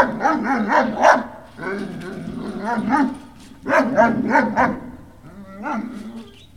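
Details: Several Great Dane puppies at Puppy Hill on 18 November 2018 whine and yelp almost nonstop, their pitch rising and falling in warbling, overlapping cries with brief sharp yips.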